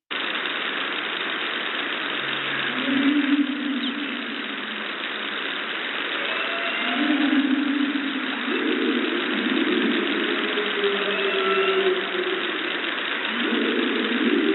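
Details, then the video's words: Humpback whale calls, low drawn-out moans and rising tones, over the steady rhythmic drone of shipping, with faint dolphin pops and clicks, recorded at an acoustically active Virginia offshore study site. "You're going to hear rhythmic sounds of shipping. You're going to hear the dramatic humpback whale calls."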